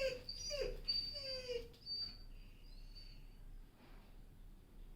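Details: German Shepherd dog whining: three short, high, downward-sliding whines in the first two seconds, followed by fainter, quieter whimpers over a steady background hiss.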